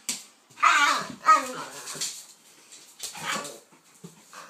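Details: Kaiser, a pitbull, and Viki, a King Charles spaniel, at play together indoors. Rough, throaty growl-barks come in two loud bursts close together, then a softer third burst and a few faint grunts.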